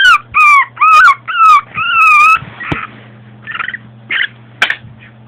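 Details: Pet Long Coat Chihuahua, a 2010-born female, at home: five long, high, drawn-out whining cries, then rougher short yips and grumbly bursts, with a low electrical hum underneath.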